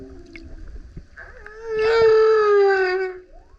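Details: Male humpback whale singing loudly while surfacing beside a kayak: one long, steady harmonic moan of about one and a half seconds that bends slightly downward at its end, preceded by faint softer tones.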